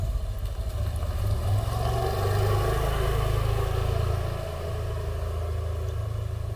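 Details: Steady engine rumble of a passing vehicle dominates, with no animal voice heard.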